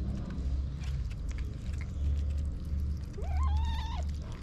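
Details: A white mother cat, a stray, meows as if asking for help for her kitten: one short rising-then-level meow near the end, preceded by a brief upward squeak, over steady low rumbling background noise.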